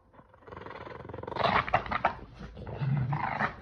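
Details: Playful tug-of-war between a Boston Terrier and a Keeshond over a chili pepper toy, giving throaty, rumbling growls that start softly, then swell into rapid, pulsing snarls, with a deeper growl near the close.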